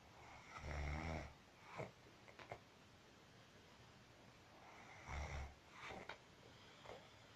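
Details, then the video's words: Marusya, a pet cat, snores while asleep: low, rumbling snores with a buzzy edge come about four seconds apart, with soft breathing between them in a quiet indoor room. "Моя кошка Маруся храпит"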